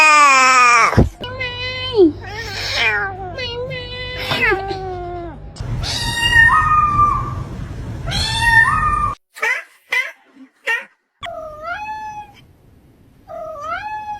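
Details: Domestic cat meowing: a string of drawn-out, tonal meows, some bending upward then dropping, later shorter separate mews with brief silent gaps, over a low steady hum and some background voices.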